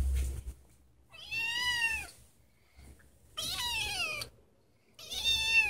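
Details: Female house cat crying to be let outside: three separate long, wavering meows, each sliding down in pitch at the end, with short silent gaps between them in a quiet room.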